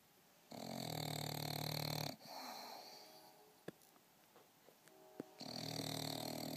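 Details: An English Bulldog snores while napping indoors: loud, buzzy, rasping inhalations of about a second and a half, then quieter breathing with a few soft clicks, before another harsh snore begins.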